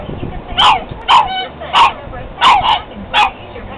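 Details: Pug fighting its reflection in a mirror, letting out six sharp, mid-pitched barks in under four seconds, some in quick pairs, with quiet room noise between them.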